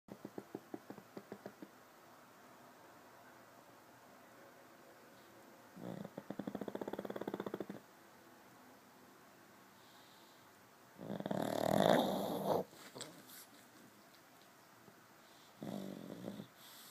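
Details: TiVo, a pug, snoring in his sleep: bursts of rough, low rattling breaths around two and five seconds apart, with quieter steady breathing and a faint hum in between.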